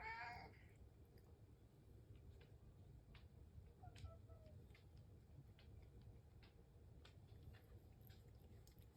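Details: House cat waiting for its breakfast in the morning. One short, bright meow opens the clip, followed by a quiet indoor room with a low steady hum and scattered soft clicks.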